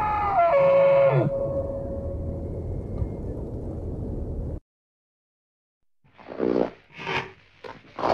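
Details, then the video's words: Moose giving a short tonal wailing call that slides downward, followed by several seconds of steady hiss, a silent gap, then a few breathy noisy bursts. "Звук лося, крик лося, рёв лося | Moose sound, moose cry, moose roar"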